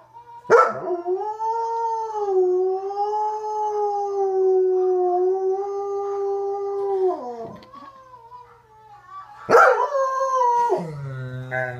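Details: A 2-year-old German Shepherd and Belgian Groenendael cross howls along to recordings of himself and three other dogs: a long, sustained howl, then a second one that slides downward.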